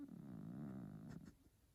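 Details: Sleeping male F2 Savannah cat being petted gives a low, rumbling, purr-like grumble that fades after about a second and a half, with two soft clicks near the end.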